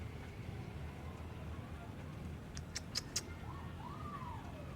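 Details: Female Persian breeder cat named Julie in Gujranwala, Pakistan, giving one drawn-out meow that rises and then slowly falls near the end, after a few sharp clicks, over a steady low background rumble.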